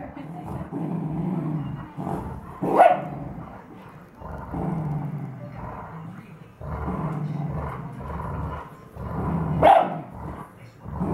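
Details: Two dogs at play, a 2-year-old Bernese Mountain Dog and a 13-year-old Dachshund, unclear which one is vocal; low rumbling growl-like bursts run throughout, with two sharper, louder barks standing out near the third and tenth seconds.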